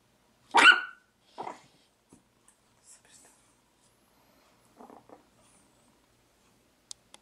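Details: A Chihuahua gives one sharp high bark, then a softer second yap, followed by a few faint low sounds and small clicks in a quiet indoor room.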